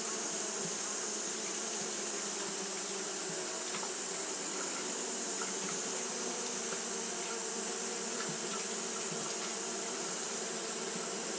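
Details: Continuous fanning by Japanese honey bees during hot weather: an even, buzzing hum with slight wavering in its low bands, backed by a persistent high whine and occasional soft ticks.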